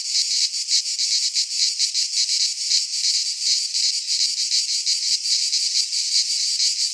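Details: Greek pine forest in midsummer, full of cicadas: a steady high-pitched rasping drone that throbs rapidly and evenly, several insects overlapping, with nothing else audible.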